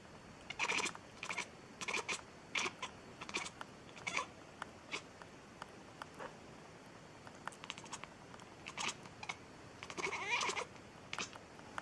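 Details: Indoor pet cat producing an odd sound, a series of short, dry, clicking chirps delivered in uneven bursts, a denser run near the end, with quiet room tone between.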